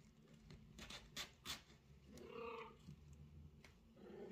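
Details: Sociable mother cat meowing and talking with her kitten and owner; one short, tonal meow rises and falls midway, after a few sharp clicks and knocks, with a low background hum.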